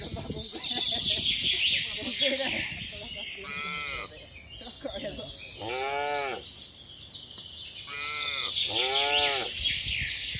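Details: Cattle herd with calves returning to the farm shed in rainy-season weather; four bleating, wavering moos come in quick succession in the second half, with chirping birds above and rustling noise.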